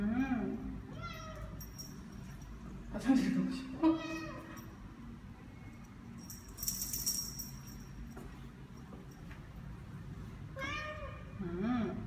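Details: A seven-month-old neutered Ragdoll cat, Ao, out walking around an almost empty new apartment complex in Korea. Several loud, short meows come in bursts, some rising and some falling, with a rattling noise and a low hum between them.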